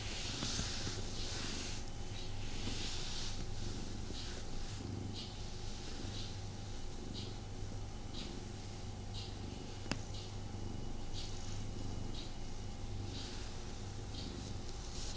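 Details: Male house cat purring during a cuddle session indoors, unable to lie down and fully relax; continuous low, pulsing purr with intermittent rustling of fur and fabric.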